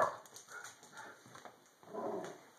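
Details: Italian Greyhound; bark; guarding the house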